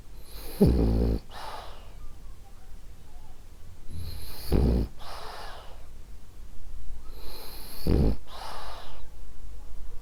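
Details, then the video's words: French Bulldog Ariva, a female, sleeps and snores steadily: three throaty vibrating snorts around every three and a half seconds, each with a hissing out-breath, in a quiet room. "Cute Snoring French Bulldog"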